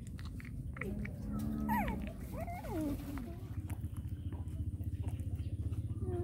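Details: Hungry puppies being fed make thin, wavering whines that bend up and down over about two seconds, above a steady low hum and soft chewing clicks.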